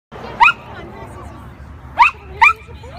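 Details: Shih Tzu dog chasing a lure, giving three short, sharp, high yapping barks: one early, then a quick pair about half a second apart near the end, over faint background chatter and room noise.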